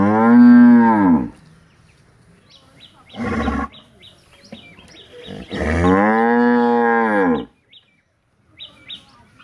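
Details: Village cows wanting to eat hay give deep, drawn-out moos, one long and a shorter one between, with small birds chirping behind.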